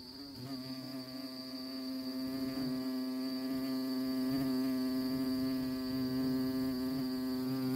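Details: Honey bees on orchid flowers, a loud close buzzing hum, steady in pitch and swelling in volume, rich in evenly spaced overtones, over a faint constant high whine.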